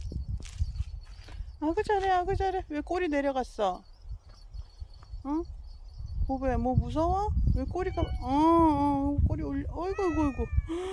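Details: Bobae, a dog-like house cat, gives a run of drawn-out meows that rise and fall, several in quick succession, over a steady low rumbling background with some voices mixed in.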